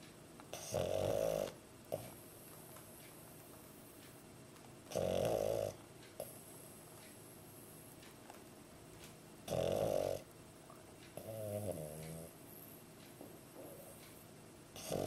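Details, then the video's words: Sleeping pug with its tongue hanging out snores in a small room, loud rough rasping bursts recurring about every four to five seconds, with a brief fluttering wheeze between them and steady low hum. "Sleeping & Snoring (pug)"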